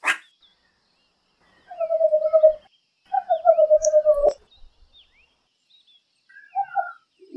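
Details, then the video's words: Meerkat calls: two low, pulsed trilling phrases of about a second each, a faint higher chirp between them, and a brief two-note call near the end. The background is otherwise quiet. "Real Meerkat Sounds"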